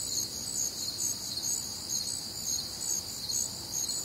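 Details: Steady shrill insect chorus of crickets and other nocturnal callers on a warm, humid Midwestern summer night, short repeated chirps layered over continuous high trills, with no other distinct sounds.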